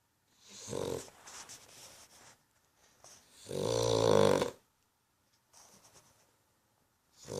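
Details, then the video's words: Snoring of a sleeping dog: one deep, vibrating snore dominates the middle, loud and rough, surrounded by softer, breathy rustling and shuffling sounds that come and go, with another snore starting at the end. "Snoring dog"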